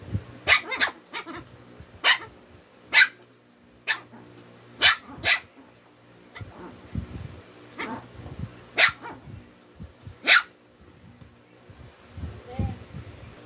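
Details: Shih Tzu twins squabbling: about a dozen crisp, high-pitched single barks spaced one to two seconds apart, alternating with quieter low grumbling and soft huffs between them.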